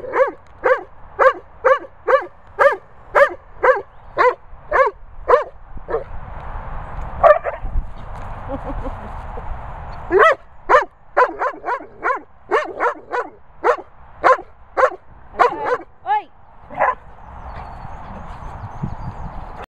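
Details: Bella Boo, a Weimaraner, warns off Labrador Bernie over his ball with rapid bursts of sharp repeated barks, roughly two per second, broken by two brief pauses filled with soft rustling hiss.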